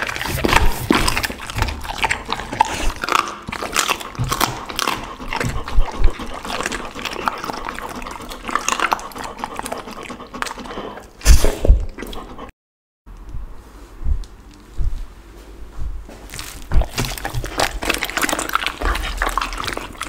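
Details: Pit bull eating a lunch of raw chicken, duck and cauliflower, recorded close up: continuous wet crunching and smacking bites with crackling bone sounds, a short silent break near twelve seconds, then more chewing.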